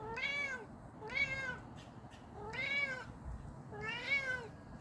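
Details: JJ the cat calls to another cat, giving four bright, arching meows at a fairly even pace, roughly one per second and a quarter, with a low background rumble underneath.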